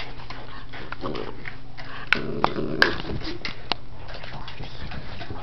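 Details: Two pit bulls playing, not fighting: Chomper, a 10-year-old male, and Stella, a 10-week-old puppy. A low, rumbling growl runs through the clip, broken by a few sharp clicks and thumps, with faint voices underneath.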